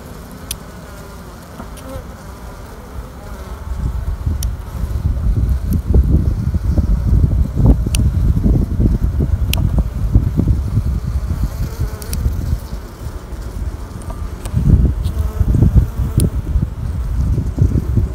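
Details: Honey bees in a queenless colony during queen rearing: a dense, low droning hum of many wings, quiet at first, then swelling louder after a few seconds and staying steady, with scattered brief clicks and taps.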